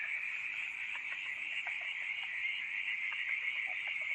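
A dense night chorus of frogs, a steady high trilling wash with lower clicks scattered through it.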